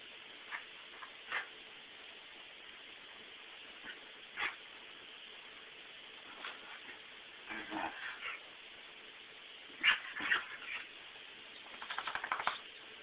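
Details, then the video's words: Pet dog named Toby in a morning excitement fit, a frenzy he has every morning and after petting, meals or baths; faint scattered whimpers and short yips, then a quick burst of rapid yelping near the end over steady background hiss. "Morning spaz fit"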